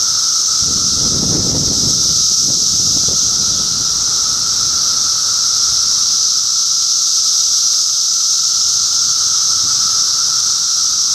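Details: Continuous shrill buzzing of a cicada chorus, recorded in June 2013 in Middlesex County, New Jersey, over a lower steady drone. A short burst of low rumbling or handling noise comes in the first few seconds.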